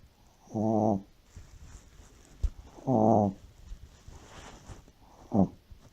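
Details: Deeply sleeping Shih Tzu snoring like an old man: three buzzy, harmonic snore bursts spaced about two and a half seconds apart, the last one shorter and sharper, with quiet room background between breaths.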